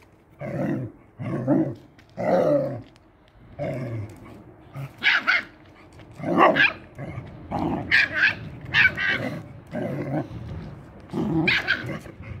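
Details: Husky meeting a hunting dog puppy for the first time: a series of short growling barks and yaps, roughly one per second, some high and sharp, others low and rough, with a person speaking Spanish nearby.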